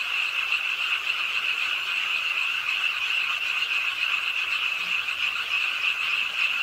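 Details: Chorus of many frogs calling from the pond side of Ingye Art Park in Suwon, Korea, on a rainy late night, a continuous high, buzzing wall of quick croaks with no pauses.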